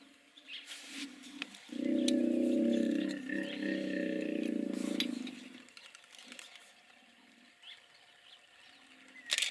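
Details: Hippopotamus voices: a sustained harsh, rasping bellow of about four seconds, then quieter short grunts trailing off, over a low outdoor background hiss.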